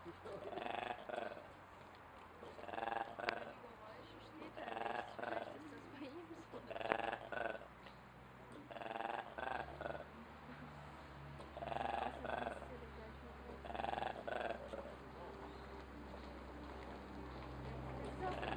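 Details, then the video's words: Weird noises from an ape in Duisburg Zoo, a series of rhythmic hoarse harmonic bursts about every two seconds, with low rumbling hum and faint human voices in the background. "Ape's weird noises"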